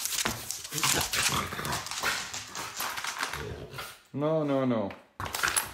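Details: A dog kept off the bed indoors lets out a drawn, harmonic whining moan lasting about a second, wavering up and down, after a stretch of people talking over it.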